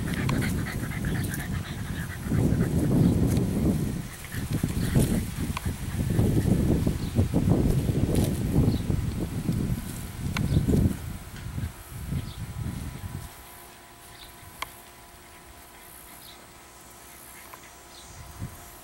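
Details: Meredith, a chocolate tri English Bulldog puppy of 11 weeks at Siess Ranch, gives heavy, throaty panting in long rhythmic bouts for about thirteen seconds before falling quiet, leaving only faint background hiss.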